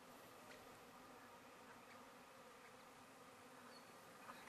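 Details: Relocated Russian honey bee hive at midnight, 20 April 2012, at a country paddock near Apollo Bay after a drive from inner-city Melbourne; a steady, layered low hum with occasional brief higher buzzing flickers.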